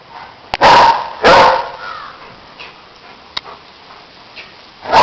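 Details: German Shepherd giving two loud, rough barks near the start, then quiet with faint noises and another bark beginning at the end.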